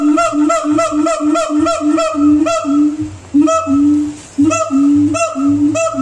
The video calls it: ❤️O.. BEGINI..!!!BUNYI HEWAN SIAMANG